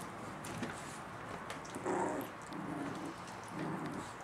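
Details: Chihuahua puppies indoors in July, giving soft, thin whining whimpers: a brief rising whine near the middle and another short whimper toward the end, over a steady low background hiss.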